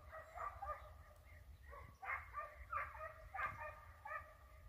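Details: Hunting dogs on a hare hunt, the hare flushed and sighted twice: overlapping, ringing, tonal barks from several dogs, uneven and roughly one and a half per second, over a low rumble of wind or handling noise.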